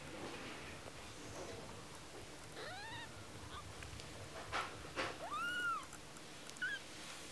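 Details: Tiny kitten, one week old, making two clear arched meows, each rising then falling, the second longer and louder. A brief high squeak follows, over a low steady room hum.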